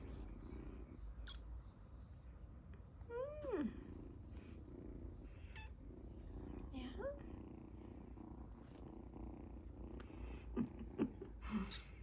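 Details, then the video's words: Harley, a kitten, makes short squeaky meows that rise and then drop in pitch, one near three seconds and another near seven, over a low steady purr, with a few faint clicks and handling noises. "Kitten Meow Squeaking - Harley Makes the Cutest Squeak Sounds"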